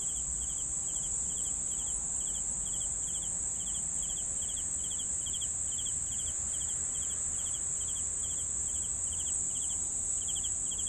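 Crickets trill steadily, with a high continuous buzz and regular pulsed chirps repeating about twice a second.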